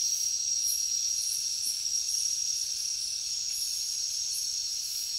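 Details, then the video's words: Continuous high-pitched cricket trill with less distinct pulsing, set against a hissy background and occasional higher rasping insect bursts. "Crickets Nature Sound"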